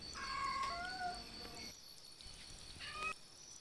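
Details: Stray cats meowing loudly for food and shelter during the monsoon; two drawn-out tonal meows in the first half, then a shorter rising meow near the end, over a steady high hum and low background rumble.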